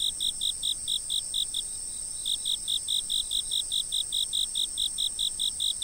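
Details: Chirping insects on a fixed camera: bright pulsed notes repeat steadily at about two per second, stop briefly after the first one and a half seconds, then continue evenly over a steady high-pitched insect hum.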